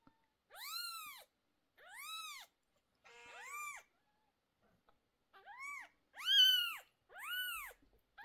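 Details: Distressed mother cat, isolated indoors while her 11-day-old kittens' sore eyes are treated, gives clean, piercing rising-then-falling cries. There are six in steady succession with silence between, the fifth the loudest.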